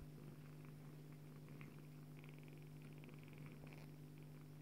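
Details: Low, even purring from a Bengal mother cat as she nurses her kitten daughter, a constant deep drone with faint soft rustles above it.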